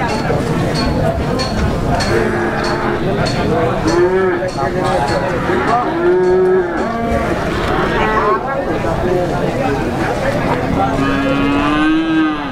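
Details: Market calves at Plaosan, Magetan, Java, calling repeatedly: arched moos rising and falling at about four and six seconds, more lowing from nearby animals, and a final long drawn-out moo, all amid chattering buyers and sellers.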